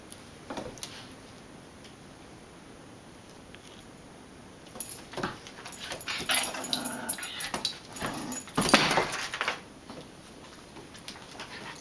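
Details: Pair of pet dogs at play. A quiet start gives way to a run of growling and scuffling bursts from about five to ten seconds, then the sound fades again.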